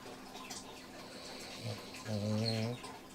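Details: A sleeping pet Dobermann snores once, a short low vibrating breath lasting under a second, against a quiet indoor background with faint high chirps.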